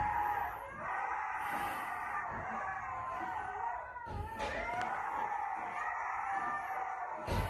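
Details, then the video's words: Coda, a male Siberian Husky, howling in reaction to wolves howling. Several long, drawn-out tonal howls overlap, sliding up and down in pitch, with a brief pause near four seconds before the chorus resumes. "Husky reacts to wolves howling"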